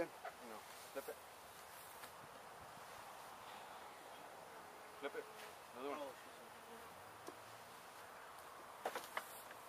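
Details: Honey bee colony drone during removal of a gentle hive from a house window in Edinburg, Texas; continuous soft buzzing hum with scattered clicks, a few short knocks and handling noises.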